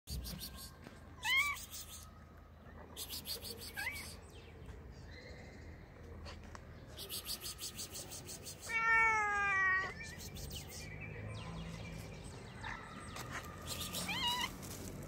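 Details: Hungry kittens eating raw fish give several short, rising meows spread through the scene. One louder, drawn-out harmonic meow comes near the middle, over soft clicking and chewing noises.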